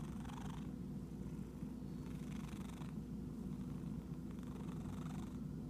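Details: Itchy house cat purring with a deep, constant rumble while soft rustling bursts come roughly every two seconds.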